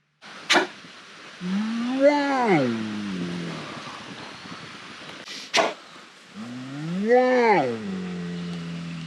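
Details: Asian black bear giving two drawn-out, rich moaning calls that rise and then fall in pitch, about five seconds apart, each preceded by a sharp click, over a background hiss.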